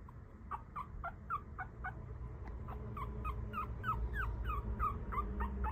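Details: Male Papillon puppy, one of a litter of four, raised with its mother: a fast run of short, high squeaks, each sliding downward in pitch, about three or four a second, soft over a steady low hum.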